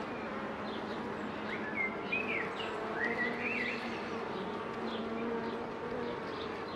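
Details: Honey bees around Mini+ hives as a beekeeper works the colonies in 2018, with a steady droning hum throughout and a few short chirping bird notes scattered above it.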